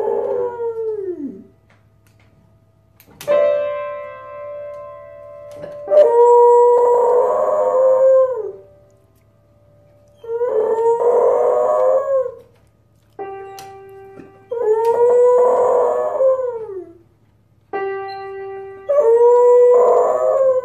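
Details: Beagle singing while playing a piano: five long, wavering howls that slide downward in pitch, alternating with sustained piano notes and chords struck between them, with quiet gaps and a low steady hum underneath.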